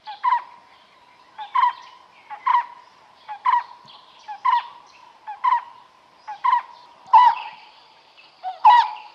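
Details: Smooth-coated otter at the Karnali River, Bardia National Park, Nepal, while fishing: a steady series of mid-pitched, slightly downslurred chirps, each with a faint upper overtone, repeated roughly once a second.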